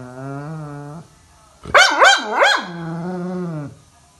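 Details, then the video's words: Labrador Retriever giving its morning alarm call: a low, steady droning moan, a short silence, then three quick, loud rising yelps, then another sustained low moan that fades out. "Dog Morning Alarm"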